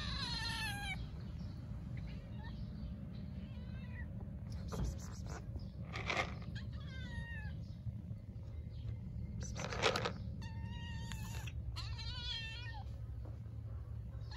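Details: Stray mother cat and kitten in Istanbul meowing loudly from hunger; a few drawn-out, wavering meows at the start and end, quieter calls between, over steady low street rumble and brief bursts of noise.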